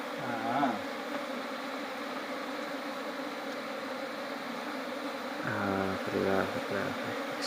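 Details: Swarm of honey bees disturbed by smoke as honey is taken from the hive: a constant buzzing drone fills the stretch, with a man's voice breaking in briefly at the start and again near the end.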